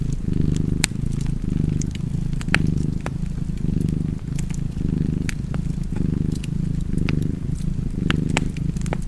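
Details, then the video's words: Low, continuous cat purr in a cozy fireside setting, pulsing in rhythmic in-and-out waves roughly every second, with bright snapping crackles from the fire scattered over the rumble. "Purring Cat and Fireplace"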